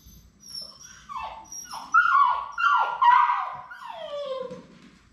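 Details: Labrador Retriever puppies whining indoors on their last day before leaving for new homes; a run of high, sliding cries that swoop downward, several overlapping, rising in loudness midway, over a faint room hum.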